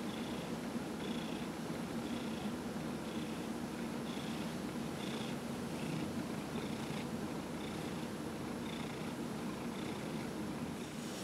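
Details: Massage session with Dillard, a 15-year-old cat in treatment for small cell lymphoma, recorded November 27, 2018; a long unbroken purr, low and rumbling, with soft hissing breaths repeating roughly every second, faint steady room noise behind.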